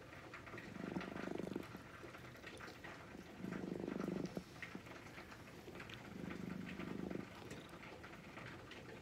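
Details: Gently stroked brown-and-white cat purring softly in three separate low rumbling bursts roughly every two and a half seconds, quieter pauses between, slight rustling in the background.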